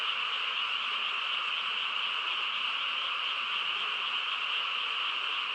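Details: Steady massed frog calling from the quiet countryside after dark: a seamless buzzing, trilling chorus pitched high, level in volume from beginning to end.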